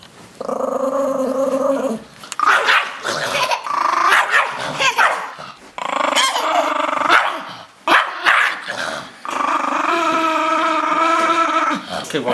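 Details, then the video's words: Rosco, a Chihuahua resisting a shower indoors, gives long droning growls that swell into snarling barks and yaps, several sustained runs of two or three seconds, with a person's coaxing voice faintly between. "Evil Dog Chihuahua"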